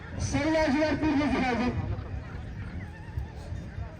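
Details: Horse at the Kumru Düzoba rahvan horse races, final held 11.07.2025; a loud, quavering whinny lasting about one and a half seconds, descending in wavering pitch, followed by faint crowd and background sounds.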